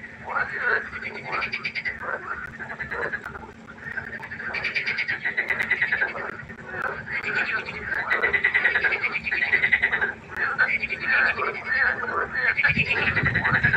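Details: Frogs calling at night by a pond, a dense chorus of overlapping pulsed croaks with rapid trills, bursts swelling and fading every second or two, several callers layered together with a steady low hum beneath.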